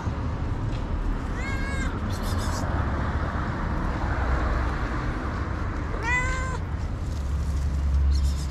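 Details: A thick-haired tabby cat, hungry, meows twice about five seconds apart: a short nasal cry, then a longer wavering one, with constant low traffic noise behind.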